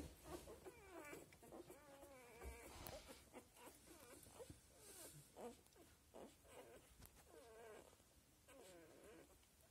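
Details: A seven-day-old Australian Labradoodle litter makes a dense overlapping chorus of wavering squeaks and whines, several pups crying at once, over a faint hiss.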